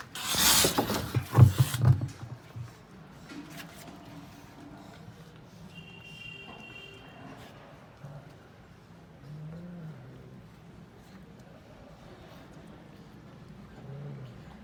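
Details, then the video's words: Ginger cat fighting: a loud, harsh, hissing screech bursts out over the first two seconds, then falls to a quieter stretch broken by low, brief growling moans near the middle and end. "cat funny fights sound"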